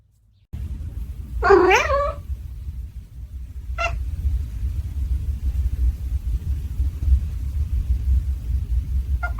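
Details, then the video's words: A cat gives one short, wavering meow early on, followed by a steady low rumble and a couple of faint clicks. "Kitty meow super cute"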